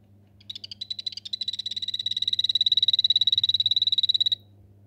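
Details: Anthony's poison arrow frog of the Rio Saladillo form, kept in a home paludarium, gives a long pulsed trill of about four seconds. Sharp high chirps start unevenly, then settle into a fast steady rhythm before stopping abruptly, over a faint electrical hum.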